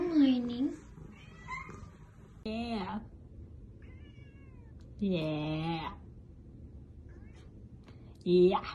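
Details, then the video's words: Grey Korat kittens meowing four times over several seconds, each meow a drawn-out harmonic cry with a rising then falling tone, separated by quiet gaps, with faint soft rustling in between. "Cute Korat Cat Meowing"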